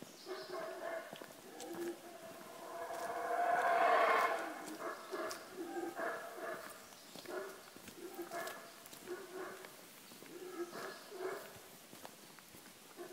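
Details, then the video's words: Guatemalan black howler monkeys calling in the morning at Tikal National Park, Guatemala; a deep roaring swell builds and peaks about four seconds in, followed by repeated shorter grunting roars, distant in open forest. "Guatemalan Black Howler Monkey"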